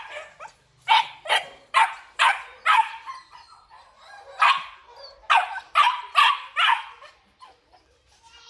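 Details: Kennel-bred Belgian Malinois in Vietnam, big males in black and red-black, bark in two bursts of rapid, rough barks about half a second apart, separated by a brief lull with softer sounds.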